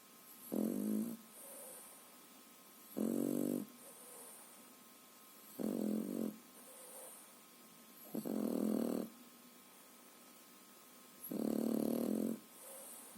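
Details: A French Bulldog puppy, aged three and a half months, sleeps and snores like an adult dog: five harsh, rattling inhalation snores repeated about every two and a half seconds, with soft exhalation sounds in the pauses.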